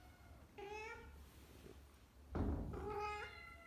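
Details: A mother cat calls her kittens with two short, steady, mid-pitched notes, a low calm murmur rather than a loud meow.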